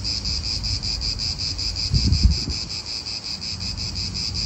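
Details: Cicadas in an Italian park keep up a dense, rapidly pulsing high-pitched drone, while a short gust of wind rumbles through midway.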